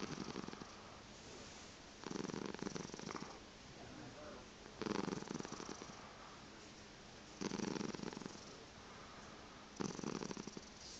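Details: Chocolate spot tabby crossed with seal point Siamese cat indoors in the morning, keeping its owner in bed; loud rumbling purr bursts about a second long, returning roughly every two and a half seconds, quiet room between them.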